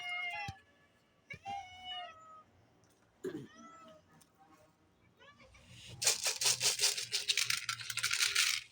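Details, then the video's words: Cats that recognize the sound of cat food shaken in a bottle give a run of short, falling meows, then the loud, rapid rhythmic rattling of kibble being shaken dominates. "cats know the sound of cat food in the bottle when I shook it!"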